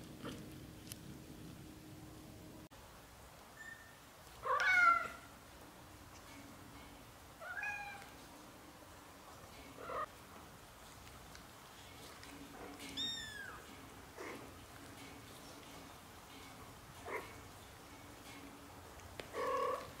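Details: British shorthair kittens, one of a litter of four sons and a daughter, growing up over their first 30 days; thin, high mews come every two to three seconds, some rising then falling, over a low steady hum.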